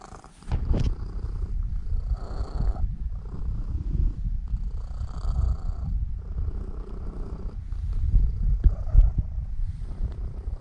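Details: Elf, a seven-year-old female Norwegian Forest Cat kept as a pet, purrs while kneading before falling asleep. A steady low rumbling purr swells and fades with each breath, roughly every two seconds, after a short rustle at the start.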